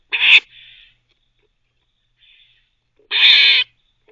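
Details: Squirrel barking as it teethes, a pet animal; one sharp harsh bark followed by a softer trailing squeak, a long silence, then a longer loud rasping bark.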